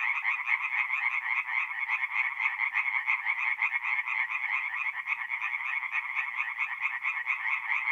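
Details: Many tree frogs sing together by night at a forest pond in north-east Italy in mid-April, their quick grating croaks stacking into a steady, throbbing wall of sound.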